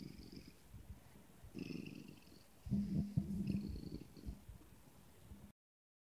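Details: A Siamese cat gives its communicative "No" to its owner: low, rumbling, purr-like vocalizations broken by brief nasal notes.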